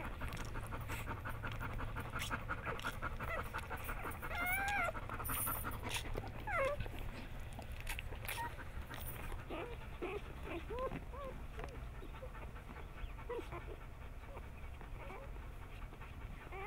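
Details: Bernese Mountain Dog Hannah, in labour at home on July 16, 2013, as four of her nine puppies arrive. She breathes in quick, uneven pants, with faint whines and soft room noise.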